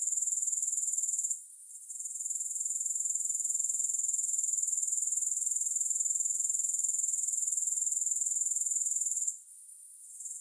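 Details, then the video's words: Grasshoppers chirring in a high, even pulse near four per second, with a short lull early on, then a long steady stretch, then a sudden fall to near quiet toward the end; no music. "3 Hours of Grass Hopper Sounds"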